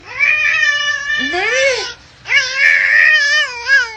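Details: Cat named Mr Chief, described as aggressive, giving two long drawn-out wailing yowls indoors, each about two seconds with rich wavering harmonics, the second rising and falling in pitch; a short gap of near silence between them.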